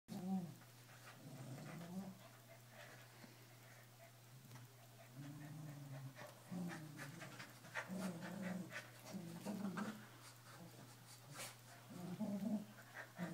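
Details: Two keeshonds playing tug of war, giving low rumbling growls in short bursts, with panting and scuffling throughout and a steady low hum underneath.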